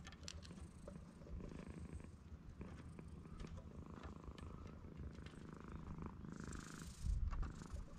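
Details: Stray cat purring on a sunny cat island under blue sky, a quiet, continuous low vibrating rumble with a louder close thump near the end, plus light rustling and faint background hiss.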